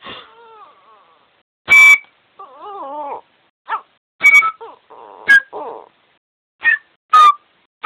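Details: Yorkshire Terrier singing to music, with low wavering howls and short whimpering slides set between sharp, loud instrument bursts that repeat irregularly.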